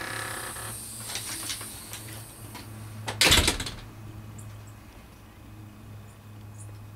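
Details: Indoor room tone with a low hum, light tapping and knocking, and a brief louder clatter midway.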